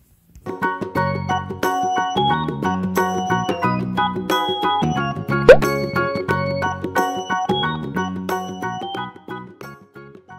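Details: A bouncy, playful keyboard tune with plucky notes and chiming accents, plus one sharp plop midway; no animal voice.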